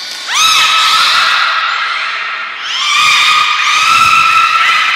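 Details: Captive belugas training together at Port of Nagoya Public Aquarium, 2 April 2023; two loud, long whistles, each opening with a steep upward sweep into a steady, rich harmonic tone.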